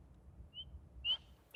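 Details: In springtime, a spring peeper frog, very small as an adult, gives short, high, clear peeps that rise slightly, one about every half second.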